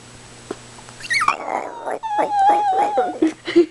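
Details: Precious, a female Chihuahua, demanding and excited as she pretends to be a wolf: a sustained, wavering tonal howl after a rough growly start, ending in short yelps, with a person's voice talking to her indoors.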